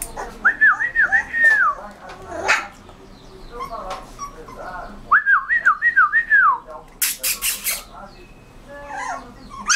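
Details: Rottweiler puppy giving two short series of squeaky, arched whimpers, each made of about four quick rising-falling notes, separated by quieter rustling and a brief sharp burst of noise.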